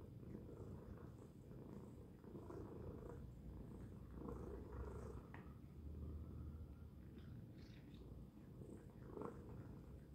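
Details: Domestic cat named Tacy purring loudly, low vibrating drone swelling and easing with each breath, a few faint higher clicks and rustles mixed in near the end.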